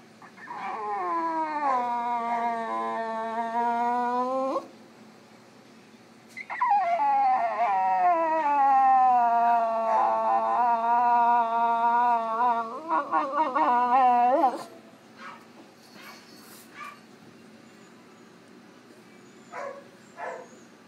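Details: Groggy female French Bulldog just out of routine surgery at an animal clinic, reacting to anaesthetic and discomfort: two long, loud, mournful howls with quavering pitch, each several seconds, followed by quieter snuffles and faint clicks.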